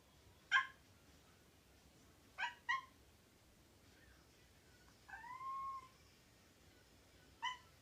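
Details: Cat producing brief bark-like yaps, a quick double burst, then a longer drawn-out meow before one final short yap, in a quiet room.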